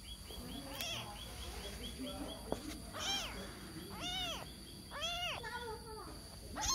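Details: Kitten searching for its mother, crying with arched meows from about 3 s onward, spaced roughly a second apart, preceded by a faint series of short high notes and low background murmur.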